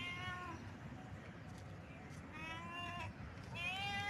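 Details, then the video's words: Cat in heat, heard as fainter harmonic meows at the start, middle and end, partly masked by a constant low rumbling background noise. "Cat sounds|Cat Heat sound|Cat sound effect|cat sound|Billi ki awaaz|Billi Ka awaaz|Billi ka awaz|cat"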